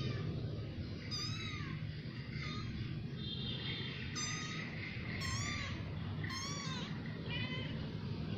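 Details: A new family of cats mewing: about five high, thin meows with rising-then-falling pitch, scattered across eight seconds, some overlapping, over a steady low hum.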